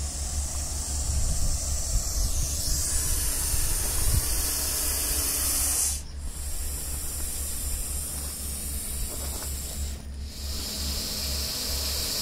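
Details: Aggressive Russell's viper caught during a rescue at Baramati, Maharashtra, India: long, loud, steam-like hisses lasting several seconds each, with three drawn-out blasts separated by brief pauses over a steady low hum.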